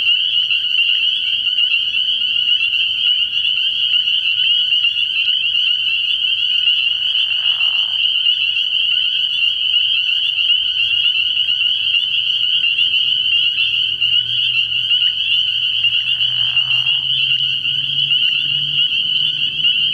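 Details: Early-year night at a frog pond where countless spring peepers keep up a shrill, continuous high chorus; two brief lower croaks break through and a low droning tone rises late in the clip.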